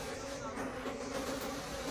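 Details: Wild bees at their nest deep in a forest during the late-season honey harvest, giving a steady low droning hum that holds an even pitch throughout, partly masked by broad rustling noise.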